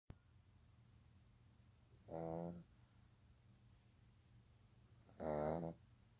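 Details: Young Pug puppy, a male, asleep and snoring: two rattling, nasal snores about three seconds apart, each roughly half a second long, in a quiet indoor room.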